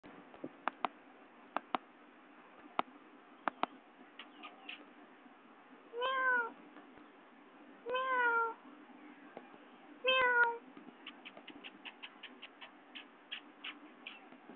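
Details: Domestic cat named Babar meowing indoors: three drawn-out, arching meows roughly two seconds apart in the middle, with scattered sharp clicks and taps before and after.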